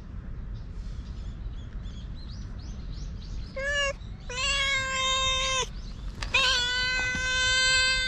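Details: Stray cat filmed with a GoPro calling outdoors: a short meow, then two long, steady, nasal meows in quick succession, with faint bird chirps and low background rumble.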